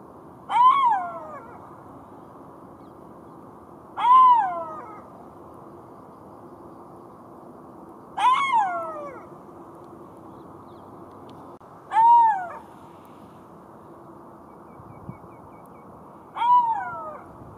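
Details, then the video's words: Golden jackal giving five short arched wailing cries, each rising then dropping, spaced about four seconds apart, with a faint low hum underneath. "Golden Jackal sound call / תן מילל"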